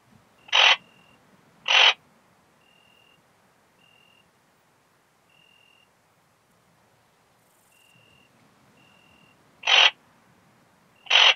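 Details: Song of a ringed bush-cricket, Rhacocleis annulata, filmed on 8 August 2022 in Biedermannsdorf, Austria, possibly via a Pettersson D 100 ultrasound detector. Brief scratchy chirps come in pairs about a second apart, then a long pause before another pair, over a faint intermittent tone.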